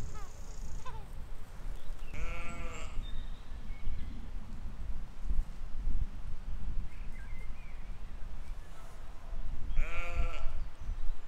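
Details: In a spring field in 2020, grazing sheep let out two separate quavering bleats about eight seconds apart, each with a shaky vibrato, while low rustling and wind fill the gaps between.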